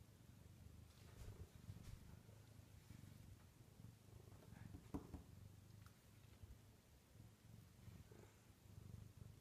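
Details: Luna, a Bengal cat who climbs onto the kitchen cabinets every night and doesn't want to go to sleep, purring softly in a quiet room: a low, continuous rumbling throb with faint clicks and rustles.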